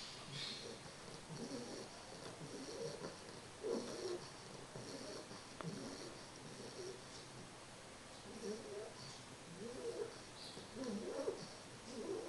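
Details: Three-month-old English Bulldog Carles, fast asleep, gives a long run of rattling, nasal snores. Low grumbling pulses repeat about once a second, some louder and snortier, with steady background hiss.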